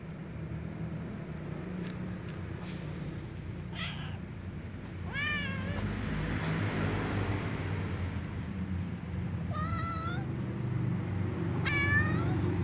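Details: Little ginger cat meowing alongside a white cat before eating with other cats; four separate rising-falling harmonic meows spaced a few seconds apart over a steady low background hum.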